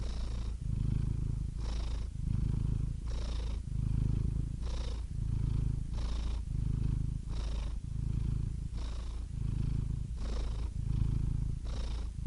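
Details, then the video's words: Soothing domestic cat purr, a thick low rumble pulsing with steady breathing, roughly nine breath cycles of rumble and airy inhale, even and unhurried throughout. "Soothing Cat Purr Sound Effect"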